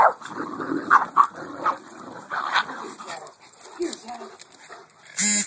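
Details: Dogs at play, two Great Danes against a gang of three smaller dogs including a poodle; short bursts of barking and rough play noises under a person's running commentary, ending in a loud harsh burst.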